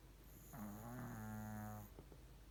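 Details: Pomeranian named Ponmaru sound asleep and snoring loudly; one long, low, buzzing snore lasting over a second with a rattly, droning tone, followed by soft breathy clicks.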